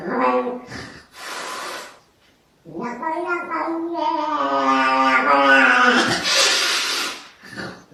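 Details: Indoors, a cat confronting itself in a mirror lets out a long, rising, quavering growl-yowl that ends in a harsh hiss, after a short hiss and a pause.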